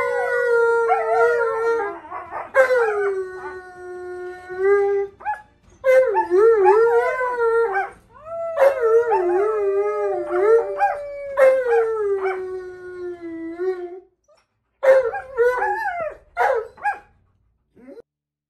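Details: Siberian husky named Monroe during tug-of-war play that he loses, then going for the other dog's jugular. Long wavering howl-like calls with rich harmonics rise and fall in bursts separated by short pauses, plus brief yips, with music behind.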